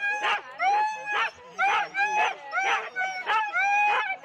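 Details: Husky in a four-dog sled team at the Rendlesham start, January 2016, gives eager high yelping barks, roughly one each half second, each a short burst with a drawn-out whine-like tone, other dogs behind.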